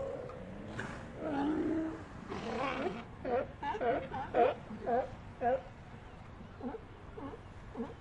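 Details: Sea lions giving a noisy mix of overlapping groans and then a run of short harmonic barks, about two a second, fading toward the end against a hissing background.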